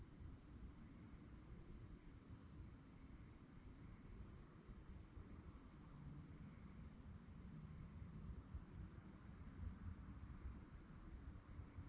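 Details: Crickets calling after dark with an unbroken, rapidly pulsed high-pitched trill, steady in loudness, set against persistent low-frequency rumbling noise.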